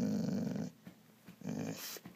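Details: Dog indoors in the morning, being told to speak: two low, rumbling grumble-growls, the first lasting under a second, the second shorter after a pause, with a person repeating the command.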